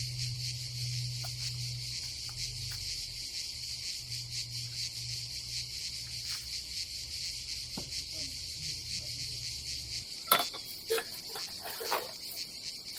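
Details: Summer cicada chorus at an Adriatic seaside campsite in Croatia, a continuous high-pitched hiss-like buzz holding steady, over a low hum for the first ten seconds and a few sharp clicks and knocks near the end.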